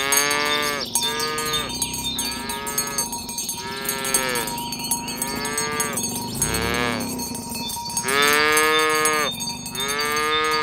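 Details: Village herd of tame cows, driven in the morning toward the pen, moo repeatedly in short overlapping calls while many cowbells jingle and clank constantly in the background.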